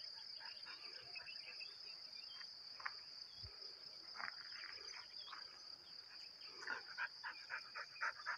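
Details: Continuous high-pitched cricket trill rings evenly throughout, while short irregular clicks and a few bursts of lower sounds break in now and then, thickening near the end.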